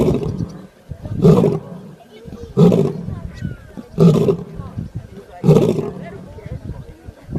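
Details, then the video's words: Snoring lion, four regular heavy rasping exhalations about every 1.4 seconds, deep and noisy, separated by quieter intakes of breath. "شخير الأسد"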